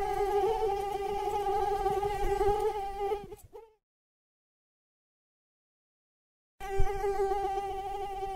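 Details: Whining mosquito flight tone, steady and droning with stacked overtones, cutting off abruptly after about three seconds and resuming after a long silence.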